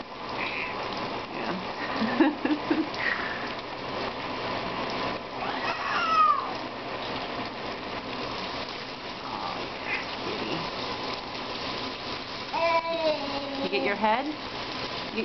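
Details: Sammy, a 15-year-old female pet cat, crying to get her turn under a hot shower; a few drawn-out wavering meows, one near the middle and a longer one toward the end, over running water and a person's soothing talk.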